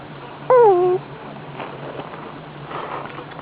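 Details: Sleeping pug giving a high-pitched snore or breathing sound: a single short whistled tone that dips and falls, heard in a quiet room with a steady low hum.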